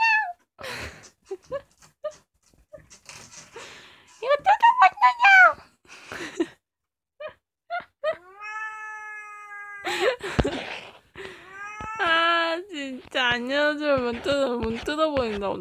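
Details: Kkomaengi, a female orange cat about two years old and the youngest cat of the household, cries indoors at night while playing. Drawn-out harmonic meows rise and fall, mostly in the second half, with voices, laughter and background music around them.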